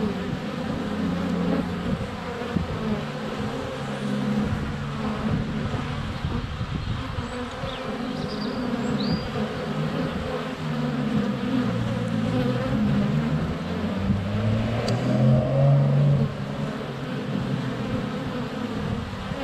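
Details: Honey bees flying constantly around a GoPro Hero 7 Black placed less than a foot from the hive entrance on a sunny February day. A thick, wavering buzz that rises and dips in pitch, with faint high bird chirps behind.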